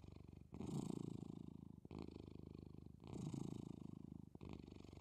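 A domestic cat purrs steadily, a low rumbling vibration that swells and pauses with each breath.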